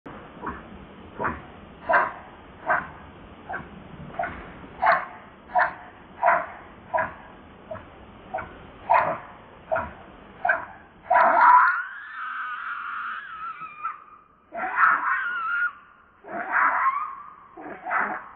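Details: Baby monkey crying and begging its mother for milk; a run of short, evenly spaced clicks or smacks, then long, high, wavering whistled cries broken into pieces.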